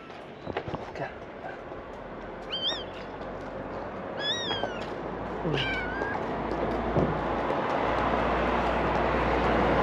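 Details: Abandoned, hungry stray kittens waiting to be fed in the morning give a few short, high meows with rising and falling harmonics, spaced over several seconds, against steady low rumbling background noise.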